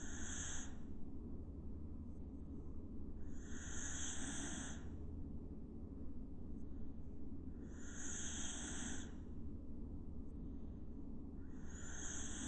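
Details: A dog snoring naturally in deep sleep, with no music added; airy, hissing breaths come about every four seconds over a steady low rumble.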